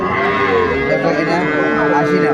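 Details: Dairy cow sold with a calf at Aftabganj haat, Dinajpur, Bangladesh, January 4, 2025: a loud, sustained, even-pitched lowing moo fills the whole moment, with a steady music bed and faint crowd noise behind.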